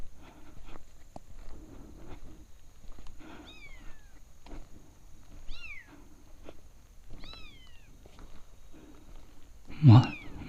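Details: Abandoned kitten heard crying during a motorcycle touring ride; three thin, high, falling mews spaced about two seconds apart, with a man talking nearby and a loud burst of handling noise at the end.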